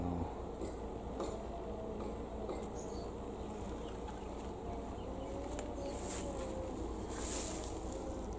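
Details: Honey bees gathering at knotweed flowers at a home in Thailand, filmed the day before leaving the country; a low, steady droning hum runs throughout with faint tonal wavering, plus soft outdoor background noise.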